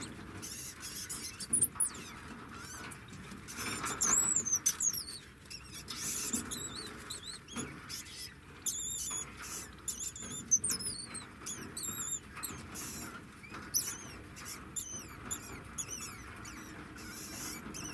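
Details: Degu singing a long series of very high, sharply bending squeaks and chirps, some arching up and down, in irregular bursts between bouts of rustling and scratching.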